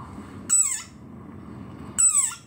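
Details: A very angry desert rain frog gives its squeaky war cry: two shrill cries, each slightly falling in pitch, about one and a half seconds apart.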